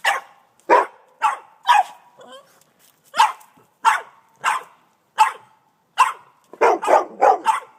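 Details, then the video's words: Boston Terrier, 18 months old, barking excitedly at a snow shovel, recorded on an iPhone; sharp, loud barks in an irregular series, about eleven over eight seconds, ending in a fast cluster of four. "Boston Terrier Dog Barking At A Shovel"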